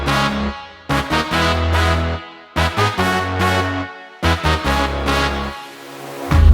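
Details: Loud electronic music with heavy bass beats in bursts and pauses; no animal sound is heard.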